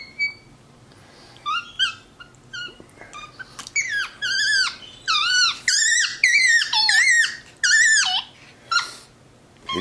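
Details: MonkeyBoo, a pet male capuchin monkey lounging on his leather couch indoors, chatters in a run of squeaky, whistled chirps that slide downward. They come in quick succession, sparse at first and then dense, with a faint voice in the room.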